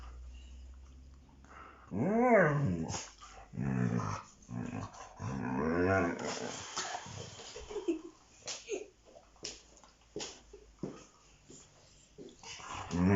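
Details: A Siberian Husky growls and grumbles during a play fight with a child, giving rising and falling, bear-like vocal moans.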